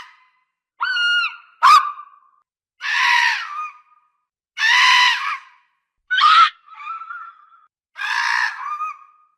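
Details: Fox barks and screams: a short whistled yelp, a sharp crack, then five hoarse screaming barks roughly every one and a half seconds, some ending in a thin trailing whine, over a silent background.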